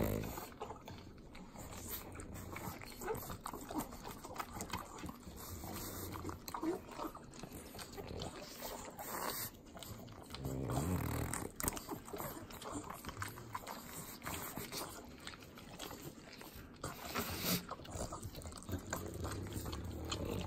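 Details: Three pet pugs eating butter in Southern California's Inland Empire: wet, sloppy licking and snuffling snorts make dense broadband smacks, with louder bursts near nine and seventeen seconds.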